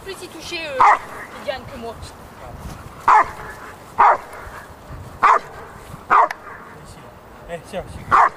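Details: Female Rottweiler in defence work during RCI protection-training preparation, dated 28 November 2009: loud, sharp single barks at irregular intervals, about six over eight seconds, with a handler's voice heard between them.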